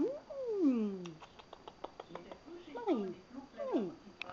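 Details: Marie, a Persian-mix cat, mews indoors in the dark: a long falling meow, then two shorter downward-sliding mews, with a woman's soft murmuring in between.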